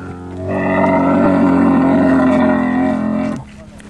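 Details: A dromedary on a guided ride, agitated, gives a loud, sustained hoarse groan with a low gurgling, buzzy texture. It holds steady for nearly three seconds, then cuts off, leaving quiet riding noise before and after.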